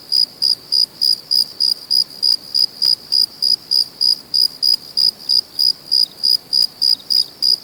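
A cricket chirps steadily, short high pulses repeated about three times a second.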